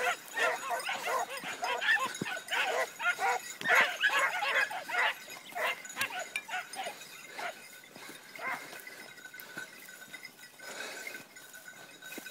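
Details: A wire-haired dachshund, one of four hunting boar alongside a petit basset griffon vendéen, barks in rapid, yelping bursts, over two per second.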